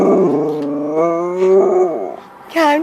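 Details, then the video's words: Aphrodite, a pet dog, howls in response to sirens: one long, smooth, wavering tone that slides slightly up and down for about two seconds, then a brief louder rising note at the end, with a woman speaking nearby. "APHRODITE Howling"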